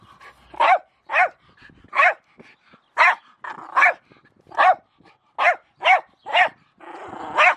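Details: Barking Jack Russell Terrier Milo, playing around a shovel: about ten bright, punchy barks spaced irregularly, some close together, with a burst of scraping noise near the end.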